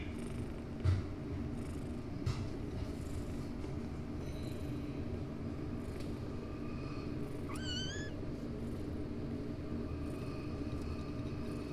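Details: Domestic cat in a household with the cat Beben and her kittens and grandkittens gives one short meow, rising then dropping, with clear harmonics, around the eighth second over a steady low mechanical hum and faint clicks.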